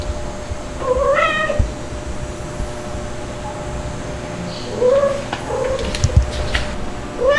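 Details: Two-month-old white kitten Stuart, still a cry baby, with nursing mothers Mel and Pepper nearby. A few short, rising-falling meows, spaced seconds apart, over low room noise and some soft knocks.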